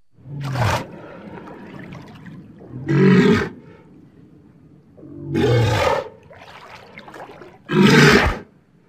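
A walrus gives deep, rough roaring bellows, repeated about every two and a half seconds.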